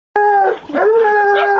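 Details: A 20-month-old female Black and Tan Coonhound baying at a raccoon caught in a chicken pen: a loud, drawn-out, level bay with a short break, then a second long steady bawl.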